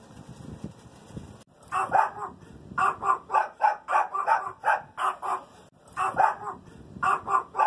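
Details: Chihuahua barking rapidly in short, sharp yaps, roughly three or four per second, grouped in bursts with brief pauses between them; a low rumbling noise fills the first second and a half before the barking starts.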